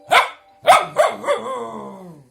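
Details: English Cocker Spaniel barking at an alarm clock indoors: two sharp barks followed by a quick series of softer yelping barks trailing into a long whining tone.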